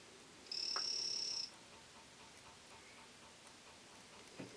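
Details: Three-striped poison frog of the Greenback form, kept captive, calling in the early morning; a single high, steady buzzy trill lasting about one second, then quiet with faint background hiss.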